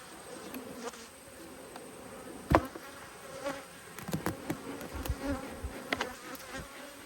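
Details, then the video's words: Honey bees from two hives, cross at being inspected, give a steady low hum throughout, with sharp knocks and clicks of hive handling scattered over it. "When Bees Go Wild - Inspecting Two Angry Hives"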